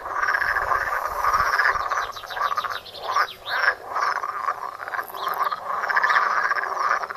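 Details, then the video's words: Pond frogs heard outdoors, captured with a Samsung Galaxy Note. Busy overlapping croaks form a steady rattling chorus, with pulsed bursts standing out and a short lull just after the third second. "Étang et grenouilles - Pond and frogs"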